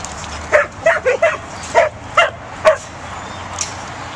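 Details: A Pembroke Welsh Corgi puppy gives a quick run of high, sharp barks while herding.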